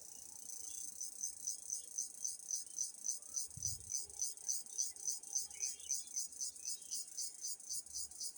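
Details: Cricket. A cricket calls with a thin, piercing chirr, high in pitch and broken into even, rhythmic pulses. The beat holds steady at about three to four pulses per second, with little else heard.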